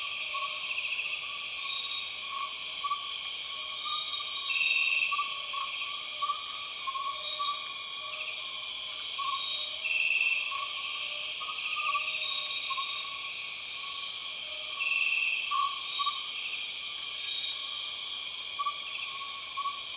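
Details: Empress cicada calling in the Borneo rainforest, within a dense, unbroken high-pitched insect drone layered in steady bands, with faint tonal whistles near the lower edge and brief higher notes recurring about every five seconds.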